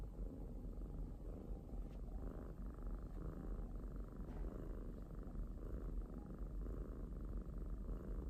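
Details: A pet cat purring: a steady low rumbling drone, continuous throughout with even loudness, plus a few faint clicks.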